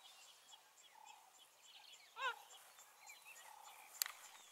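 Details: Cheetah, one of three males of the Fast Five coalition in Kenya's Maasai Mara, February 2020, rainy season, calling for two companions separated across a river. A single short, harmonic, bird-like chirp mid-clip over distant birdsong and faint insect chirring.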